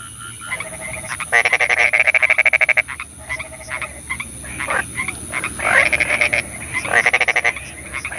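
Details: Frogs calling at night in the rain, loud rapid pulsed trills lasting about a second each, alternating with drawn nasal croaks, against a soft background hiss.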